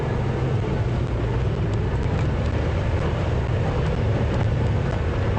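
Only a steady low engine rumble from a vehicle is heard, with no animal calls.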